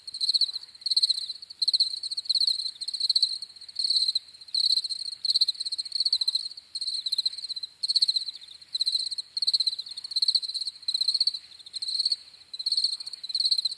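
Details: Crickets chirping in rhythmic bursts of high, buzzy pulses, each trill lasting under a second, about 82 per minute in a loose pattern, with a quiet background.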